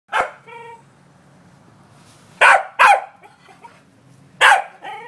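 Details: Male corgi herding an out-of-control yellow ball, giving one sharp bark, a short tonal yelp, then three loud harsh barks a second or two apart over a low background hum.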